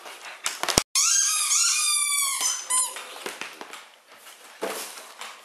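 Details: Siberian Husky Mishka, a female, indoors with bottles: one sharp crack, then a sustained, slightly wavering whine lasting about two seconds, followed by a short yelp and soft crunching and rustling.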